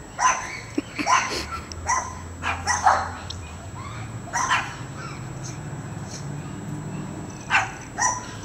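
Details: Dogs Shelby and Souffle, with a neighbouring Sheltie, bark while chasing squirrels from the yard; irregular bursts of barking, a few grouped at first then sparser, over a low background hum.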